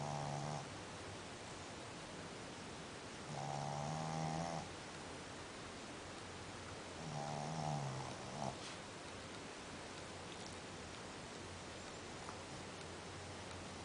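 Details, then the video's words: Sleeping dog snoring indoors: three harmonic, rasping snores at uneven gaps, near the start, around four seconds and around eight seconds. Each lasts about a second, with quiet breathing hiss between them. "Sleeping like a dog, snoring like a human"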